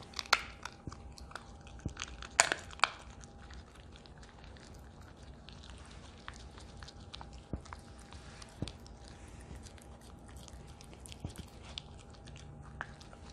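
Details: Crunching bone between her teeth, Ha-Roong, a female Italian Greyhound aged two, eats a duck neck: loud cracking bites early on, then quieter scattered clicks and chews, with a low constant hum behind.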